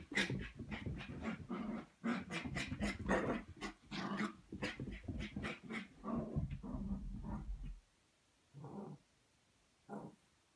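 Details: Red Cavapoo puppy Scarlett, three and a half months old, in a zoomie frenzy after having her feet washed; dense run of rough growling huffs for about eight seconds, then quiet with two short grunts near the end.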